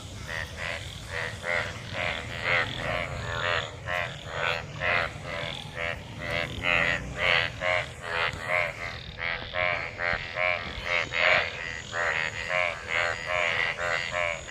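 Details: Many frogs mating in rain-gathered water after monsoon rain; dense chorus of rasping, buzzy croaks pulsing roughly every half second, overlapping callers, steady low background rumble.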